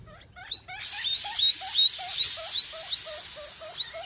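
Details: Young guinea pig calling for its mother, giving regular, evenly spaced short squeaks about three per second, backed by a steady high hiss after the first second.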